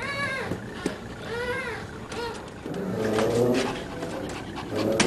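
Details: Dada's puppies at three weeks and four days old, indoors with their mother: a few rising-and-falling whines, then a stretch of rough, overlapping whimpering and snuffling with muffled background noise.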